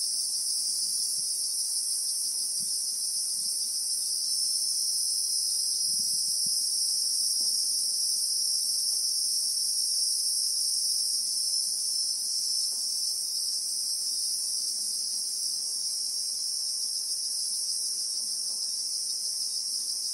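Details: Christmas beetles droning in South African bushveld, recorded in real time: a long, even, shrill hiss in two high bands, pulsing slightly, with a few soft low thumps and rustles early on.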